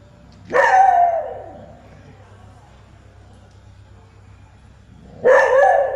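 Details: Dog at Wat Mahabut (Wat Yanak) temple, barking for a long time at something it seems to see. Two loud, harsh barks, each fading into a short tail, about four and a half seconds apart over a steady low hum.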